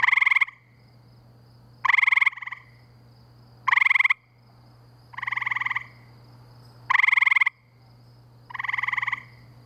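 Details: Spring chorus of gray treefrogs near a pool in Framingham, Massachusetts, sounding like crickets on steroids; short pulsed musical trills roughly every two seconds, alternating louder and softer callers, with a constant low hum beneath.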